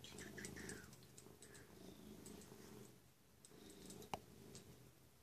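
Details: Domestic cat Zlatan, waiting indoors and happy as its owner comes home, purring in a steady low rumble throughout, with a few brief higher sounds early on and a single sharp click near the end.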